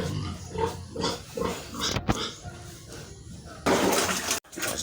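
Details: Sow on a farm being dewormed, giving loud, harsh, noisy squeals and grunting bursts throughout, with a brief break and people talking nearby.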